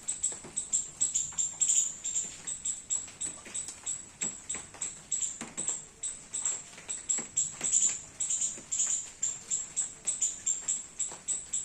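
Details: A garden squirrel feeding on baby coconuts in the rain calls continuously: rapid, shrill chip notes at a fast, slightly uneven pace, some doubled, with soft patter underneath.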